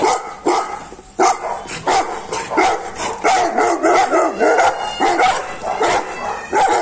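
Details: Saint Bernard dogs at a breeding centre in Naharlagun barking: dense, overlapping deep barks from several animals, roughly one or two per second, loud and continuous.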